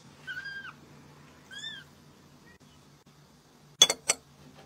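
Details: A cat eating egg yolk gives two short meows, each rising then falling with a clear tonal quality, followed by silence and then two loud sharp clicks near the end.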